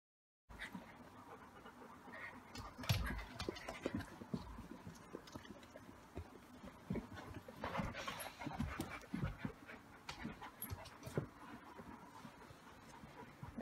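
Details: Young Golden Retriever puppy trying to figure out a mirror, then quickly bored, pants rapidly, with soft snuffles and brief thumps; an older Golden Retriever brother also appears.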